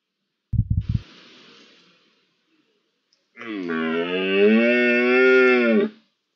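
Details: During the early October red deer rut, a few sharp knocks are followed by silence, then a long, loud harmonic roar of about two and a half seconds that swells slightly toward its end.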